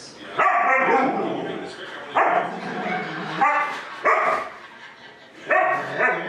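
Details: Home-alone huskies, including one-year-old Gertie, carrying on while the owners are away running errands. Four or five strong harmonic howl-barks, each starting abruptly and trailing off, come roughly every one to two seconds.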